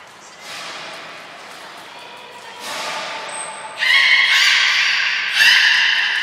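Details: Beluga at Port of Nagoya Public Aquarium on 7 June 2022, training with Gray, Nana and Mirai. Soft, noisy sounds give way to a short high whistle, then two bursts of loud, harsh, harmonic calling in a large echoing hall.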